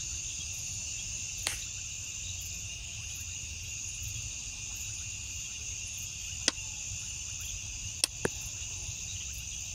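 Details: Night insect chorus of crickets: unbroken shrill trilling in stacked high bands, with a soft rhythmic ticking on top and three or four brief sharp clicks scattered through the recording.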